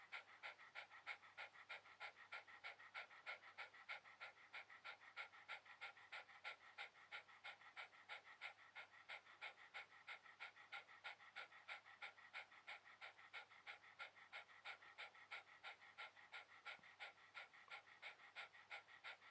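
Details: On a towel, a relaxing Shiba Inu pants in a long, steady series of short breathy huffs, slightly slower than three per second, evenly spaced and uninterrupted throughout.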